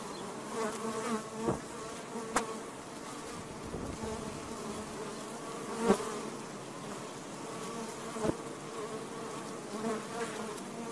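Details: Honey bees by the thousands pouring from the interior of a house wall in Garland, Texas, about 60,000 in the colony: a steady, thick buzzing drone, unbroken throughout, with a few faint clicks and taps.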